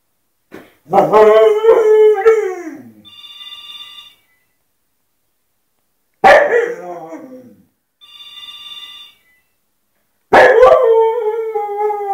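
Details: Fenia, a pet dog, howls as the phone rings: three loud, wavering howls that slide downward, one long and two shorter, with a ringtone chiming in the gaps between them.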